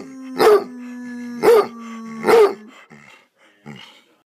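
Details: Pet hound Roscoe, being encouraged to howl with his owner, lets out three strong barks about a second apart over the owner's continuous low howl, followed by softer huffs.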